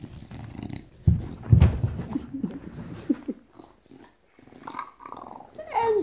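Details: English Bulldog greeting its owner on her return, excitedly playing around her head indoors; loud low growly grunts and snorts, brief silence, then a rising whine-like squeal at the end.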